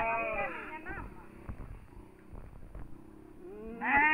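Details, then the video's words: Mating sheep in the village of Sirna Rasa, one giving a drawn-out, quavering bleat that slides downward at the start and another sharp bleat at the end, with people chatting quietly in between. "cara perkawinan domba di kampung sirna rasa"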